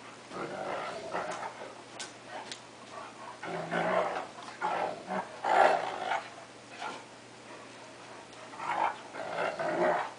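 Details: Two pet dogs playing, a cocker spaniel taking on a 3/4 wolf, 1/4 Akita: rough, throaty growls and snarls come in irregular bursts of varying loudness, with brief pauses between the scuffling vocal outbursts.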